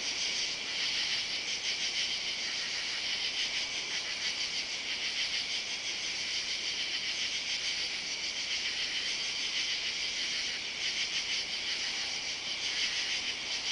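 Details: A dense katydid chorus on a summer Saturday night, July 31, beneath oak trees in a yard and along a driveway. The high, rasping buzz throbs continuously in overlapping waves, with no other clear sounds.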